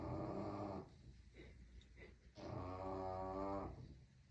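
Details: Sleeping bulldog puppy snoring loudly like a grown man, with long throaty rattling snores, a short gap of softer breathing, then another drawn-out rumbling snore.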